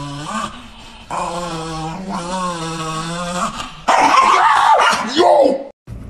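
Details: Niki, a female pet Chihuahua, reacting indoors to a bag made to look like her: a steady low rumbling growl for several seconds, then sharper, louder yipping bursts, with a woman talking over it.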